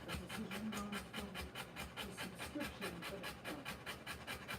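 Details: Rottweiler in labour delivering puppies: rapid rhythmic panting, a little over two breaths each second, each a short airy rasp; faint low voices murmur underneath.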